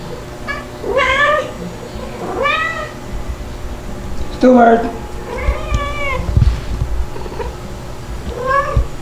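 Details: White kitten Stuart at two months, still crying often while nursed by his calico mother Mel and by Pepper. Repeated arching meows about every second or two, with a harsher squawk midway and light background rustling.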